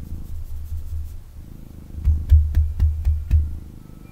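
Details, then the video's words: Young male kitten purring intensely while held and cuddled indoors; steady low rumble in breathing-paced phases, swelling louder in the second half with brief handling knocks. "Kitten Purrs and Snuggles"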